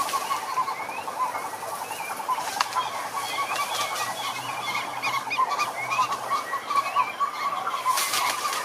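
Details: Several frogs calling at once in a pond, a steady pulsed trill running under scattered chirps and croaks from other callers, with occasional short bursts of noise.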